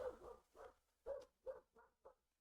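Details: Holly, the neighbour's border collie of about two years, not very well trained and prone to barking at everything, barks in the background: six short, fairly muffled woofs over two seconds, growing softer toward the end.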